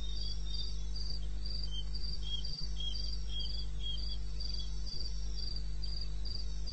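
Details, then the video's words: Eastern Botswana wilderness at 2:30 am, 21 May: a cricket gives quick, high repeated chirps in an even rhythm while a second, lower one calls in short bursts; a couple of soft knocks and a low steady hum sit underneath. "1 Hour cricket sound"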